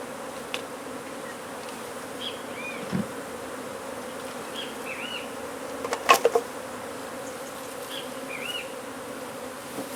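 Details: Constant low hum of a honey bee swarm from a hive being taken out from under a wood pile in McAllen, Texas, with scattered high chirps, a dull thud midway and a cluster of clicks.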